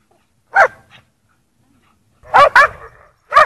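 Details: Snowy play at Priory marina, Bedford, with lurchers Egg and Toby and Buttons: one sharp bark, a brief pause, then a quick double bark and a final bark, all loud and clipped.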